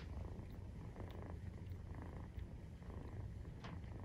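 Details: Maine Coon cat purring while nursing, kitten aged 43 days; dense, even low vibration pulsing steadily, with a few faint soft clicks and rustles on top.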